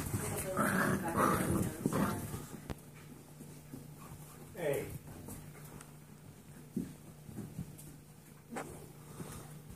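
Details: Seven-week-old Golden Retriever mix foster puppies playing outside their playpen give a short falling whine amid scuffling and light knocks, with human voices talking over much of the scene.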